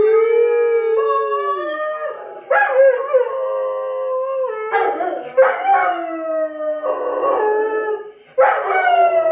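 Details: Several Doberman Pinschers in a chorus of howls prompted by an air horn sound effect; overlapping long wavering tones interrupted by rough, yelping bursts roughly every two seconds.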